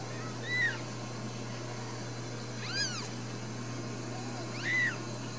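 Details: Newborn Ragdoll kittens in a home cattery in central Kansas give three separate high, arching mews spread over five seconds, one brighter and more strained, with a constant low electrical hum underneath.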